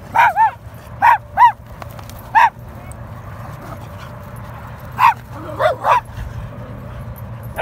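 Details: Standard Poodle named Miracle getting chased, giving about nine short, bright barks and yips in loose clusters, some doubled in quick pairs, spread across the recording over a constant low background hum.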